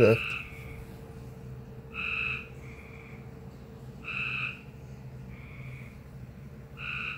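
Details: Unusual frog noise: paired tonal notes, a stronger one followed by a fainter, flatter one, repeating about every two seconds, with a thump at the start and a steady low hum underneath.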